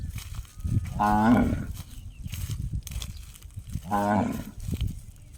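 A cow gives two ringing, gong-like moos, each about half a second long and three seconds apart.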